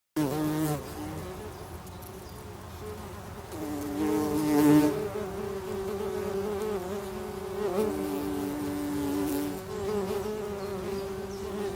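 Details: Bumblebees inside their nest; a steady low droning hum with several overlapping tones that swell and fade, louder surges around the middle, no other clear sounds.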